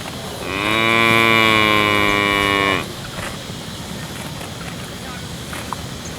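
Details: Healthy village cow lowing once for about two seconds, a loud, steady, strongly harmonic moo that rises at the start and falls off at the end, followed by quieter background noise.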